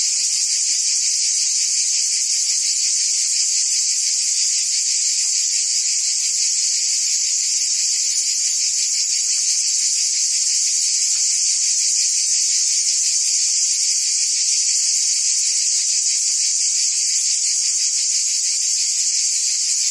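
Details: Cicadas in forest trees producing a continuous loud shrill buzz, unbroken for the whole stretch, with a fine fast pulse texture underneath and no other animals, voices or music heard.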